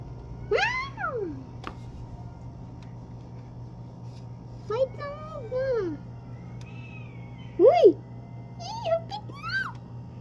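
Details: Pet cats fighting indoors in a small room: several drawn-out, wavering yowls and rising-falling wails spaced a few seconds apart, with a sharp screech near eight seconds; a child and adults talk in the background over a steady low hum.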